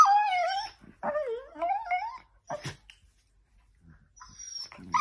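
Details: Whining miniature dachshund during play: a sustained high cry that dips, then a wavering whine that climbs, followed by a couple of short sharp yelps and a quiet stretch.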